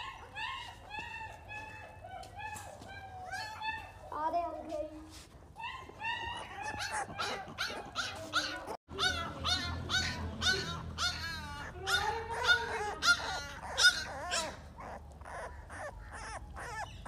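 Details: American Bully puppies of Dax bloodline, male and female, in Hoshiarpur, Punjab, give many short high yelps and wavering whines in quick irregular bursts, with a person talking among them indoors.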